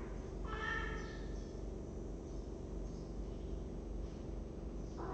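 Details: A cat in a cat room, caught on webcam on 23 December 2015, gives a single short harmonic meow early on, followed by a low steady background hum.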